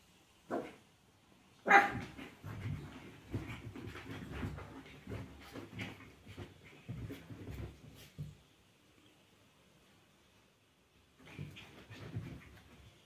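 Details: A Chihuahua puppy and an adult Chihuahua together indoors: one sharp, loud bark near the start, then a long stretch of scuffling, pawing and thumping play noises, a quiet pause, and a final burst of rustling.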